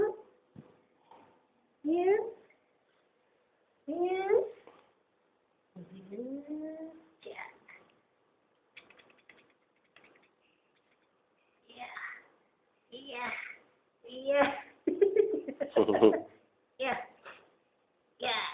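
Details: Three-month-old Persian kitten Boboy meows repeatedly, with rising, wavering cries every couple of seconds that become quicker and denser toward the end. People chat in Malay and English in the background.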